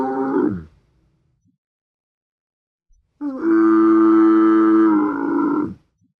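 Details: A camel's grumbling call trails off at the start, followed by silence and then one loud, rich, buzzy groan held for about two and a half seconds before stopping abruptly.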